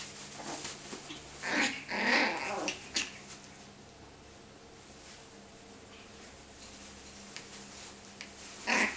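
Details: Yorkie and Tibetan Terrier puppies biting at each other in a bean bag during play. Rough, noisy growling bursts are bunched in the first three seconds, then quiet, and a final snarl comes at the end, with a constant thin high hum behind.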